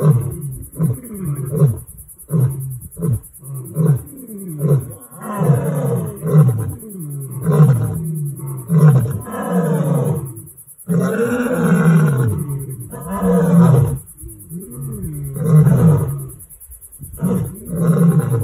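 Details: Lions on a bushveld reserve in Limpopo, South Africa, roar in deep, rumbling bursts that swell and fade, broken by short throaty grunts.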